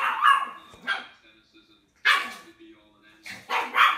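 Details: Dog barking in a compilation of puppies and dogs: short, sharp barks in uneven bursts spaced a second or more apart, with a man's voice talking softly between them.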